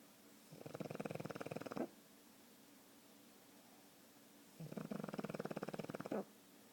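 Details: Pug named Oscar snoring: two drawn-out, buzzing snores of over a second each, made of fast vibrating pulses and ending with a slight rise, separated by a quiet pause of about three seconds.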